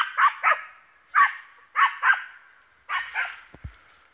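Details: Hunting East Siberian Laika baying at a wild boar: pairs of ringing barks spaced about a second apart, each bark slightly hoarse, with a faint thud near the end.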